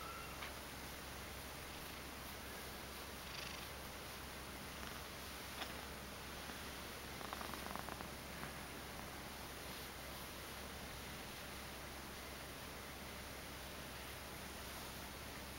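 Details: Domestic Ragdoll cat, two years old, purring continuously: an even low throbbing rumble with no pauses, quiet overall, with a few light rustles and taps midway.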